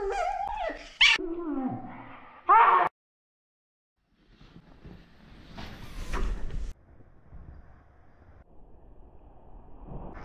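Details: Russian Toy Terrier named Stambul at the start of its morning, filmed on a GoPro 6: whiny, harmonic whimpers in the first seconds, punctuated by two sharp loud bursts, then a pause, door-like thumps and rustling handling noise.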